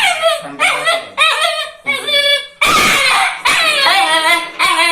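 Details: Angry, cute puppy giving high-pitched, ringing yaps in a rapid series of about six calls, with one harsh, noisy bark in the middle.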